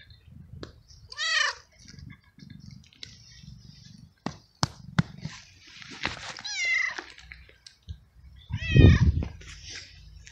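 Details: Homeless male street cat in heat, fed for weeks by a carer, meowing loudly for a female and asking for food in a garden; a few arched, harmonic meows rise and fall among scattered knocks and low rumbling background.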